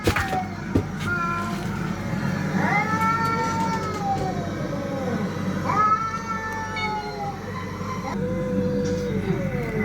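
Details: Cats fighting: a sharp opening noise, then drawn-out moaning yowls that rise then sag, repeated every few seconds over a low hum.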